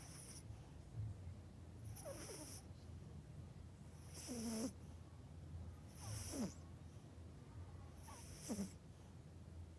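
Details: Pet Yorkshire Terrier Melody fast asleep at home, snoring in a steady rhythm: five breathy snores, each with a short low grunting rasp, repeating roughly every two seconds over a constant low room hum.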